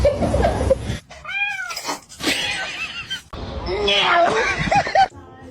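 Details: Pet cat letting out a clear, arched meow amid human talking, with further cat cries blending into voices and background noise.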